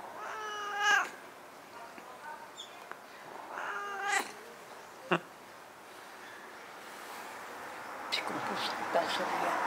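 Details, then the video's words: Ten-year-old stray cat Nabi, which followed a grandmother to her new home, converses with her: two drawn-out harmonic meows about three seconds apart, a soft click between them, then a woman's voice and background music toward the end. "10살 길고양이와 대화하는 할머니를 보셨나요? Did you see the grandmother who talks to the 10-year-old straycat?"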